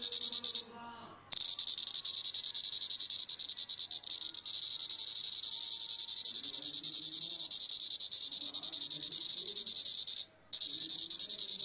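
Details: Disturbed Plebeian cicada feeding on sap, voicing displeasure: a continuous shrill, rasping high buzz held for about nine seconds, with brief breaks at start and end.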